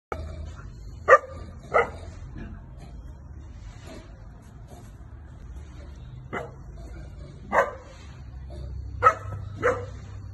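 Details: Semi-adult male Boerboel (South African Mastiff) puppy in Vijayawada, Andhra Pradesh, India, giving short deep barks in irregular pairs spread over ten seconds, separated by quiet stretches with low background hum.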